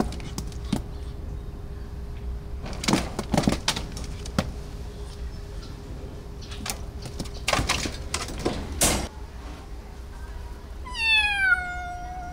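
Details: Rescued feral kitten, a stray that wandered in and was treated at an animal hospital for bugs, gives one short, high, harmonic-rich meow near the end, after a stretch of clattering, door-like knocks and handling noises indoors.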